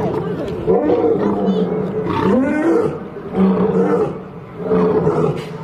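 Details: Two lions fighting, giving harsh, wavering growls and snarls with strong low harmonic bands, swelling in bursts roughly every second and a half, some rising and falling in pitch.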